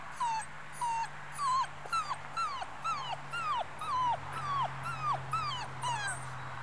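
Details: Muscle Mastiff puppy five weeks old, Batista, whines steadily: about a dozen short, high whimpers in a row, many arching up then dropping, over a constant low electrical hum.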